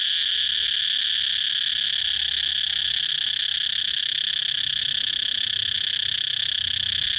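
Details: Cicada droning with a constant, high-pitched, sizzling buzz that stays level and uninterrupted from start to finish.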